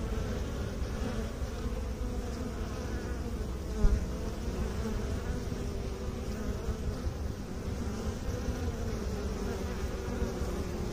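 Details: Continuous low droning of bees tended by beekeepers, an even, rich hum with a soft wavering texture and one brief knock near four seconds.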